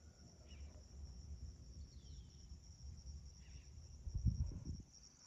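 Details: Crickets chirping at sunrise at a home in Magma Ranch, Florence, Arizona, in August 2021: a steady, unbroken high-pitched trill throughout, with faint short bird chirps and a low rumbling background that swells near the end.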